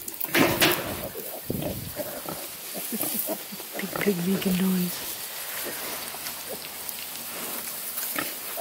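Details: Newborn piglets, sixteen in the litter, on a farm near Kingston, Ontario, Canada. Short low grunts come in scattered bursts, with a brief tonal oink near the middle. A woman talks over the animals throughout.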